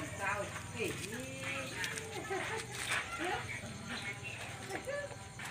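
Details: Puppies quarrelling and playing at night: a run of high, wavering whines and yelps, each sliding up then down in pitch, overlapping one another several times a second, with people talking in the background.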